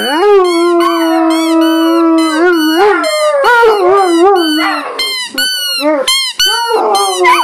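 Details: Irish wolfhounds howling in a group, one voice holding a long steady low tone for about three seconds while others add higher wavering, bending howls and short yelping notes.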